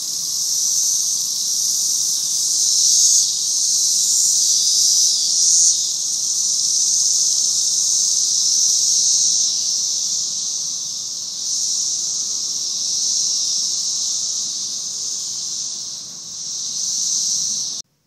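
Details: Cicada swarm producing a continuous shrill hiss-like drone, steady throughout with gentle rises and dips in loudness and a brief dip near the end.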